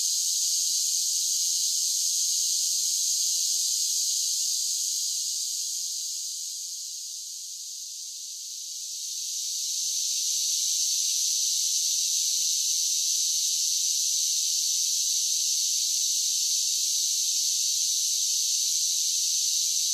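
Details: Summer cicada chorus as a steady, shrill, hissing buzz. It dips briefly in loudness partway through, then swells back to full strength. No low sounds, other callers or human noise.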